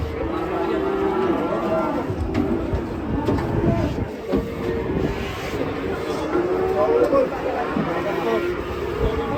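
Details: Cattle being unloaded from a truck in Indonesia, one said to go wild during unloading; deep harmonic moos rise and fall repeatedly under a steady hum of people talking and background music.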